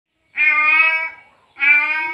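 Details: Male cat in heat, just after mating, calling for a female: two long, drawn-out meows, each about a second, steady and rich in overtones, separated by a short silence.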